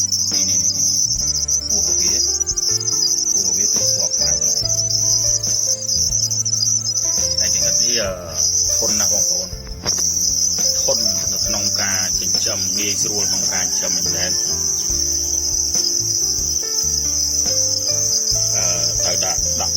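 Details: Red cricket, a red type of cricket, producing a long, constant shrill trill that briefly dips twice midway, with gliding music-like tones and low hum in the background.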